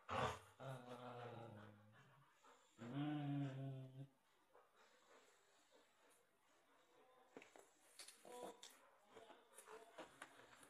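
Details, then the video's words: Two dogs, a Samoyed and a white Husky, play tug with a toy. Two loud, rough growls fill the first four seconds, followed by quieter scuffling and breathing. "Samoyed vs white Husky"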